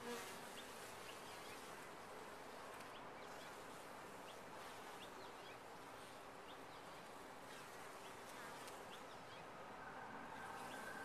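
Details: Honey bees inside a top-bar hive: a dense, continuous colony hum centred in the low-middle range, steady throughout, with faint short chirp-like accents and occasional soft clicks scattered above the drone.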